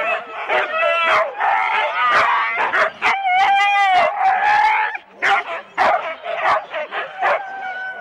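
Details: Husky teams of four at the start of a Rendlesham sled run in January 2016, analogue cassette recording; sharp barks alternate with drawn-out wavering howl-like whines, a brief lull near five seconds, then more irregular barking.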